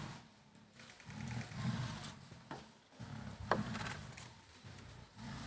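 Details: Tigers in Kanha National Park, a dominant mother driving her 26-month-old daughter out of her territory in an intense fight. Low, rumbling growls come in bursts of one to two seconds, broken by brief pauses and a sharp click.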